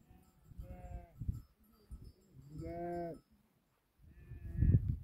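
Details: Sheep from a herd of 2000 tended by eight Tibetan Mastiffs in Nepal; two wavering harmonic bleats around the middle, with low rumbling handling noise and a loud thump near the end.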